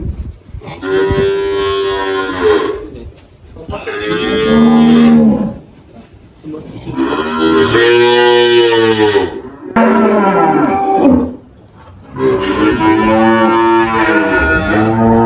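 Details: An 18-year-old spotted Girolando cow named Malhada, on a farm in Anápolis, Goiás, Brazil, in March 2023 after giving birth to a calf, lows repeatedly; four long, rich moos, each two to three seconds, separated by short pauses.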